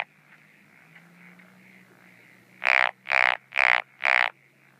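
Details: At night in breeding season among paddies and ponds, 17 June 2013, a Japanese wrinkled frog gives four loud, rasping croaks in steady succession after a few quiet seconds with faint background hum.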